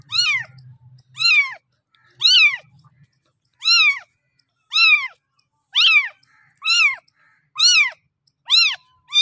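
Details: Kitten meowing for milk from its mother: about ten clear, well-spaced meows, each a sharp arch of pitch, coming roughly once a second. A brief low rumble sounds at the start, then quiet between calls.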